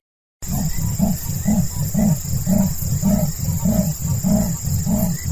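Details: Leopard (Panthera pardus) gives its sawing, rasping roar: a steady series of deep, hoarse grunts about twice a second.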